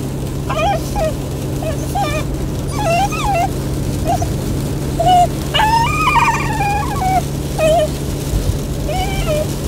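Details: A Golden Retriever puppy that dislikes the car ride whines in high, wavering cries over a steady engine drone.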